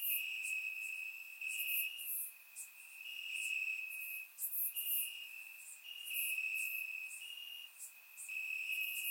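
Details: Crickets chirping in grass on a warm summer night in Bulgaria, captured with a surround microphone: a steady high ringing trill, slightly stepping in pitch, over a dense wash of higher insect buzzes and pulses.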